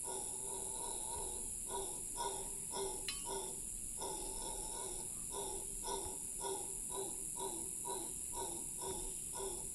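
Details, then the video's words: In Cahuita Park, Costa Rica, a howler monkey's long howl: repeated guttural pulses, about two per second, slightly uneven and briefly broken near the start, set against an unbroken high-pitched insect hum. "Long howl by howler monkey"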